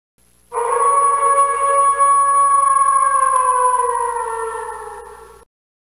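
A wolf gives one long, steady howl that slowly sinks in pitch over about five seconds.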